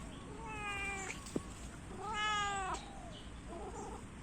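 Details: Domestic cat, an orange cat, giving two drawn-out harmonic meows, the first about half a second long and the second longer with a rising then falling pitch, followed by a faint shorter call; a soft click between them and low background hum.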